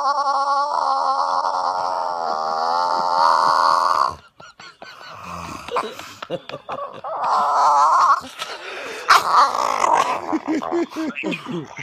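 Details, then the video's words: A grumpy bulldog being woken up in the morning gives long, wavering grumbling groans and grunts, then a string of shorter huffs. "grumpy dog makes hilarious sounds when woken up 480p"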